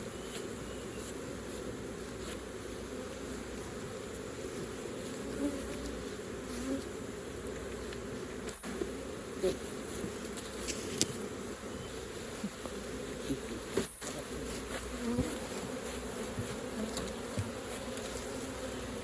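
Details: Honey bees at an opened hive during raw honey collecting; a continuous low droning buzz holds steady throughout, broken by a few sharp clicks and light knocks.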